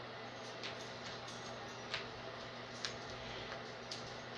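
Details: A quiet indoor room with a low electrical hum and a few soft, irregular ticks and clicks.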